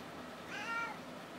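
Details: Pet cat meowing in reply to being asked to say hello indoors: a single short harmonic meow rising then falling, about half a second long, over quiet room noise.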